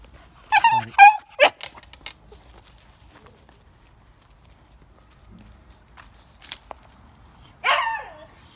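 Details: Female Hokkaido dog, a brave family dog kept at a family home in Hokkaido, Japan, that vocalizes as if talking. Short harmonic whining yelps come in a quick cluster near the start, then one more after a pause. Faint background noise.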